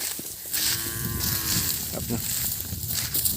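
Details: Calves calling for their missing mothers: one drawn-out, slightly wavering moo of about a second, with a man talking nearby and rustling outdoor noise.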